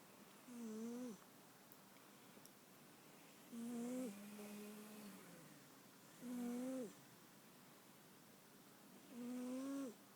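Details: Snoring pet cat in a small room, four steady buzzy inhalations spaced about three seconds apart, each a short tonal drone with rising-falling harmonics and a breathy hiss on top, with a softer, longer rumble between the second and third.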